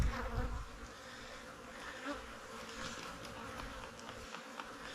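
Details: Soft, even droning of honey bees at their hives in the fall, a continuous low buzz with a brief rumble of handling noise at the start.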